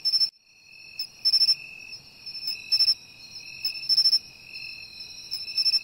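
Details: Bell cricket song by the sea, clear ringing bell-like trills repeated in bursts roughly every 1.2 seconds, each a bright metallic ring with quiet gaps between.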